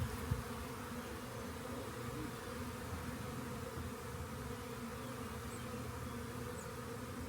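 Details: Many honey bees swarming near a rain gauge, awaiting collection; an unbroken, humming drone of layered low pitches, with a single soft knock near the start and a couple of faint high ticks.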